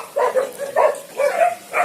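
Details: Indonesian village dogs (anjing kampung), kept for hunting and guarding, in cages at a large dog breeding farm in Indonesia; four short, bright yapping barks in quick bursts roughly every half second, with faint background hiss.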